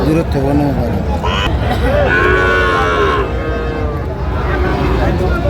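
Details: Sahiwal bull calf at a crowded cattle market in Chattogram, Bangladesh; short wavering moos, one long bellow near the middle, over steady crowd noise and talk.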